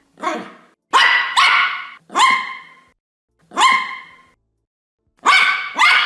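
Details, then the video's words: Dog from a compilation of many breeds giving loud, ringing, drawn-out barks spaced about a second apart, each tailing off, with a double bark at the end. "51 Cachorros Latindo - Som de Latido de Cachorros Variados"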